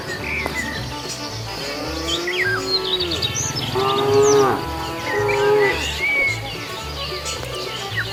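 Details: Cows wandering a road for food give a low drawn moan followed by two short harmonic moos, mixed with frequent bird chirps and whistles, a low rhythmic hum and people talking.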